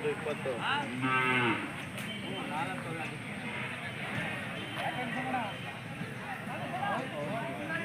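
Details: Hallikar cattle at the Sunday Jodugatte cattle market; a loud, harmonic lowing moo swells near the start and fades, followed by murmuring voices and market bustle in the background.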